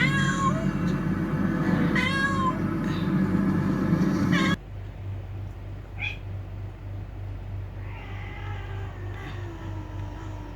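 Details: Fighting cats: loud, wavering meows crowd the first four seconds, then the sound drops to quieter, thinner cries and a faint drawn-out call near the end over a low hum.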